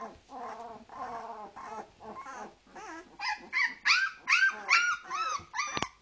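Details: ["Leonberger puppies two weeks old, from a Norwegian kennel's 2010 litter, giving tonal whining cries, lower and drawn-out at first, then higher, sharper squeals repeated more than twice a second."]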